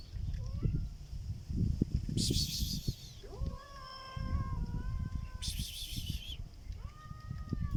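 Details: Black cat making a strange sound: a long, steady, harmonic meow-like cry held about two seconds, then a shorter arched call rising and falling. Low rumbling background noise and bursts of high buzzing accompany it.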